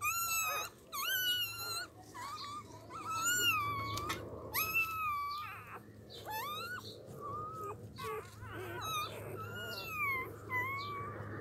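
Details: Newborn puppies with eyes not yet open cry together in overlapping high, wavering squeals, rising and falling almost without pause for about eleven seconds, with a low steady hum underneath.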